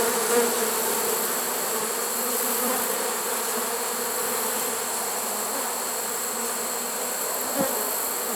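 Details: Honey bee swarm in a trap, September 1, 2019, a late-season catch: a steady mass buzz of many bees, faintly rising and falling, with a soft knock near the end.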